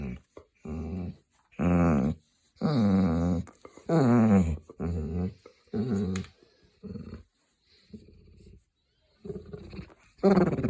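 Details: A grumpy pet hound making funny noises indoors: a series of low, moaning, talking-like grumbles and growls, each about half a second to a second long, with wavering pitch, repeated roughly once a second.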